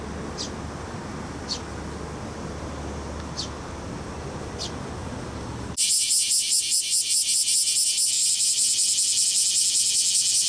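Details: Male bear cicadas singing in a lively summer chorus in Fukuoka City, Fukuoka Prefecture, Japan, on July 11, 2022; after a few faint high ticks over traffic-like rumble, a loud, harsh high buzzing pulses rapidly and steadily, about two and a half beats per second.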